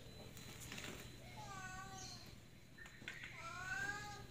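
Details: Cat on roof tiles that cannot get down; two wavering, plaintive meows, the second higher and rising, mixed with a man's talking and light background noise.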